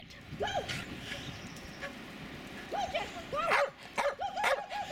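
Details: Two Jack Russell Terriers, Jasper and Jaclyn, playing in the snow in a suburban St. Louis backyard on February 24, 2016; short arched, whiny yips, scattered at first, then a quick run of several near the end, over soft background noise.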